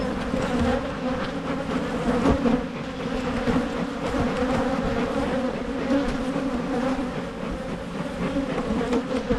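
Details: Michigan beehives being split to try to prevent swarming resound with honey bees: a thick, constant buzz at a low hum with layered overtones, even in loudness, with light knocks now and then.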